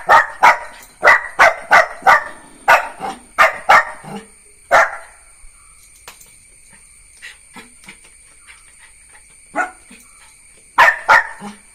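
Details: Neo, a Jack Russell Terrier puppy, lets out a rapid run of sharp yapping barks for about five seconds, then goes quiet with only soft faint sounds, before a few more isolated barks and a closing pair near the end.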